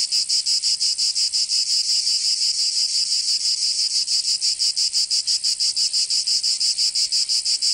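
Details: Cicadas singing in summer in Provence, southern France: a dense, loud buzzing chorus pulsing rapidly, about three pulses per second, steady and continuous with no other sounds.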